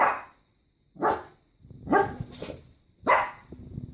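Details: Single dog barking at an irregular pace in an enclosed space, three clear barks with a softer, grumbling bark in between.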